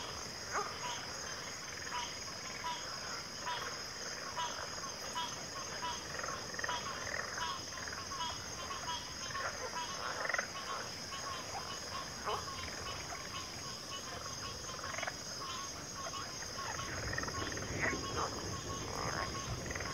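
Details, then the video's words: A frog chorus of many overlapping croaks, short rasping bursts crowding the middle range without pause, over a steady high insect-like hiss throughout. "FROGS - Pig Frogs, Water Frogs, Backwater Chorus, & Frog Chorus"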